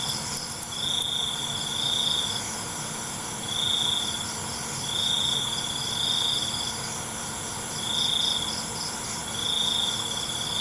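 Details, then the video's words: Crickets at night: evenly spaced bursts of shrill, high trilling chirps recur about every two seconds against a steady background hiss, with a few sharp clicks at the start. "ALUNAN CENGKERIK MALAM"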